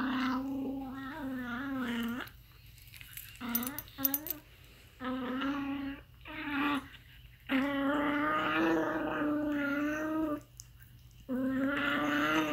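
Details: Aardvark making weird sounds, a long series of nasal, whining moans lasting one to three seconds each, steady in pitch with slight wavers, with brief pauses between them and a few clicks.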